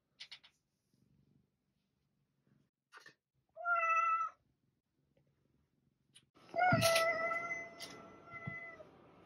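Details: House cat giving two meows, a brief one followed by a longer, louder drawn-out meow, with scattered clicks, taps and handling noise around them.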